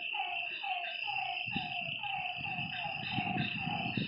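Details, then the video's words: Frog calls after dark beside a lake: evenly spaced, falling notes about twice per second, with a steady insect trill above and low rumbling noise starting partway through. "Lakeside night creatures and frog sounds"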